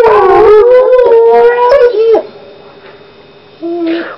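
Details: Dog joining a howling concert on its first morning: loud sustained howls with wavering tones for about two seconds, a quieter steady hum-like tone after, then a short howl returning near the end; a person exclaims just before.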